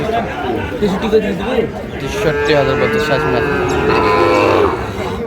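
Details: Sahiwal bull calves at the Ambari cattle market in Parbatipur, Dinajpur, Bangladesh, 12 May 2025: a drawn-out, steady lowing moo of about two seconds rises over busy crowd chatter and traders' voices.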